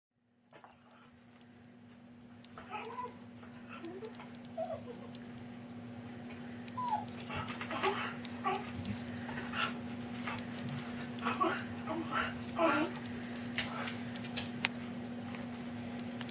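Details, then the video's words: Pet dog indoors, upset and angry at not being given food from the table, making funny whining noises: short rising whimpers and yelps in irregular bursts over a steady low electrical hum. "Upset do want food form the table ande makes some funny noises"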